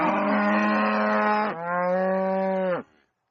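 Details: Cow bellowing loudly on a farm, a long steady harmonic moo that breaks into a second, slightly lower tone before fading out.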